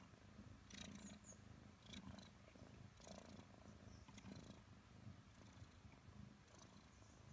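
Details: Five-month-old Maine Coon kitten purring while cuddling with its owner: a quiet, steady low rumble with soft rhythmic pulses about once a second, plus faint rustling and clicking sounds.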